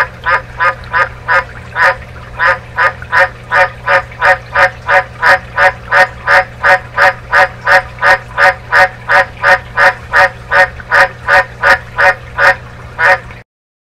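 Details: An Australian White's (dumpy) tree frog gives a long, steady run of hoarse, barking 'wark' croaks, nearly three per second.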